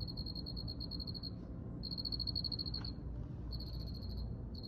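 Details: Cricket producing high-pitched pulsed trills lasting about a second, separated by half-second pauses, over faint low background noise.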